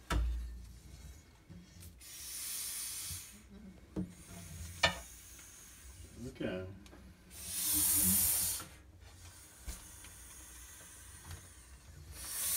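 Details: Breathy, swelling hisses from a female blood python being handled, one early and a fuller rounded exhale about eight seconds in, mixed with scraping handling sounds and a bit of human speech.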